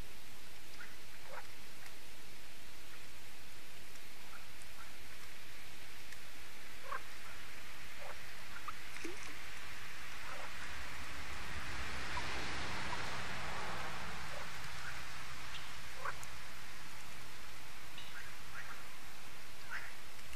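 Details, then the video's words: Frogs in their yearly evening concert at Lac de Sabtte, a lake in France, as the solar lights come on; a dense, unbroken wash of croaking fills the whole stretch, with short separate calls popping out above it. "Froschkonzert an Crystals Lake"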